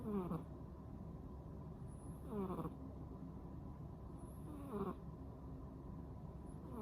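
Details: Sleeping with eyes half open, a rescued female cat of ten months snores in slow, raspy intakes, each ending in a faint squeak, about every two seconds against quiet room rumble.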